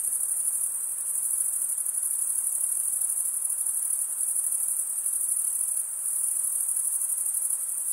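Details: Steady night-like wall of cricket chirping: high, thin and continuous, with slight swells in intensity. It is produced by male crickets rubbing their wings together.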